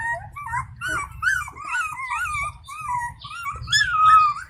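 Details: An Indian pariah puppy, one of a stray mother's litter, crying to get her attention at feeding time. Wavering, rising-and-falling whimpers in quick succession, ending in a longer drawn-out whine, with low rustling beneath.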